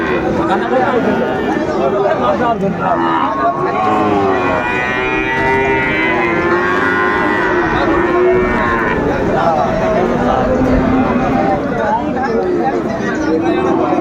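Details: Lowing of Sahiwal bull calves at a Chattogram livestock market, Bangladesh, 26 September 2024, with long harmonic moos rising and falling across the recording beneath constant human voices and market bustle.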